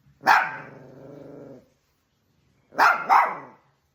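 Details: A dog fighting with another dog gives a sharp bark that trails into a drawn-out growling whine, then two quick barks.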